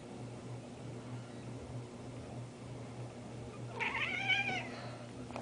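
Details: A domestic cat gives a single rising-and-falling meow near the end, after several seconds of low indoor hum, followed by a sharp click.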